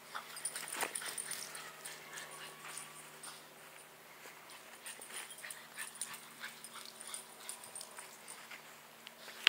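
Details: French Bulldog going wild with energy, producing hissy, breathy snorting and faint whimpers, strongest at the start, then a run of quieter huffs, with a low steady hum behind and a sharp tap at the very end.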